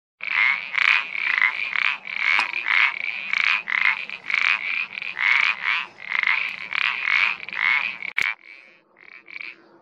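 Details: Iberian parsley frog calling steadily: a fast series of short, croaking notes, each a brief rasping pulse, repeated roughly once a second in loose groups, fading to weaker scattered notes at the end.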